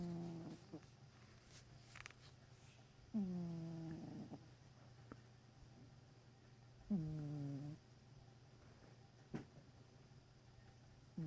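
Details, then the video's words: Sleeping cat snoring indoors, each breath a short tonal, buzzy drone that dips slightly then holds steady, with three main snores spaced about four seconds apart and faint softer breaths between, in a quiet small room. "My cat snoring."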